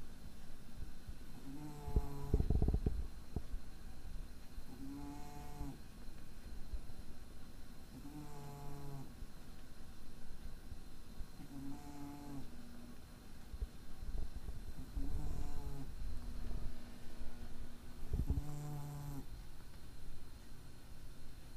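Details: On 23 April 2012 a dozing cat whose nose is slightly impaired snores six or seven times, each a short rumbling nasal drone recurring about every three seconds, some fainter than others, with a dull thump near the start.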